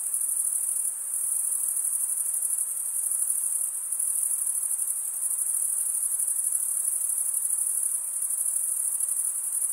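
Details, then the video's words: Chirping crickets, usually males, producing a constant shrill high trill by stridulation, with slight dips in loudness around the first and fourth seconds and otherwise an even, unbroken wall of sound. "Most relaxing cricket sound for 8 hours"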